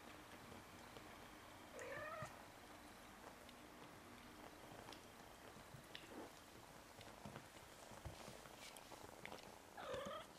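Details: Egyptian Mau kittens, six weeks old, indoors: two short mews about eight seconds apart, each a clear harmonic cry that rises slightly and falls, with faint rustling and soft clicks between them.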